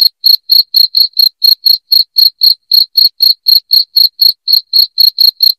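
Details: Shrill cricket chirps, loud enough to serve as a rat-repelling sound at home, come in a steady train of short, bright pulses roughly four per second, with nothing else audible.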